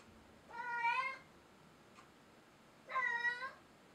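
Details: Bengal cat indoors near a Christmas tree, giving two clear drawn-out meows about two seconds apart, each harmonic-rich with a slight rise and fall, in a quiet room.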